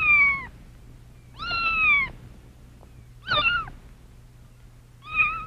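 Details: A kitten (domestic cat, Felis catus) gives a series of high, thin meows, each about half a second long.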